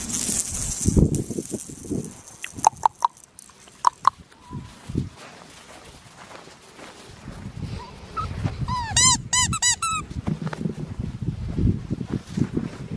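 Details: Black tri female Australian Shepherd puppy letting out a quick burst of high, arched, squeaky whines near the end, following scattered clicks and thumps from handling, with low rumbling background noise throughout.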